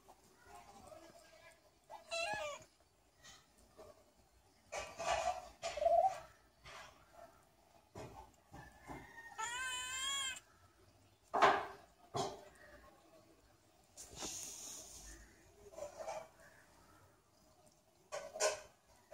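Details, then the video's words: Cats grooming each other; scattered short meows and warbling, wavering calls separated by quiet gaps, with a few soft thuds and rustles between them. "Cats cleaning each other"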